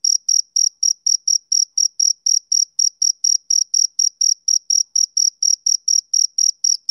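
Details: High, piercing chirps from a male cricket on a summer evening, pulsing in a fast, regular rhythm of roughly four per second, each note crisp and separate, with silence behind.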